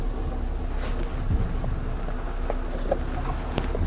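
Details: Low rumbling engine and wind noise with faint clicks; no animal sound is heard.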